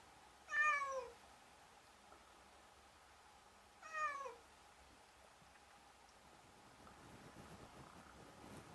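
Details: Domestic cat meowing twice, about three seconds apart, each call short, bright and downward-sliding, then quiet room noise with faint rustling.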